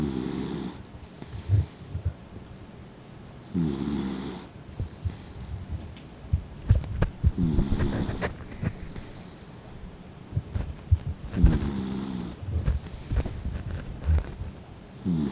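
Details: A fifteen-year-old dog named Mint, blind and dozing with eyes half open, gives rough grating snores roughly every four seconds, each with a breathy hiss, between softer snuffling breaths indoors.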